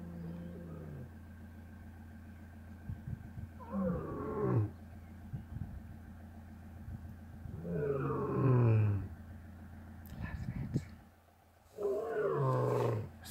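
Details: Early in the morning in the Kgalagadi, a male lion calls, roaring in deep, groaning bursts that each swell and fall away, about every four seconds.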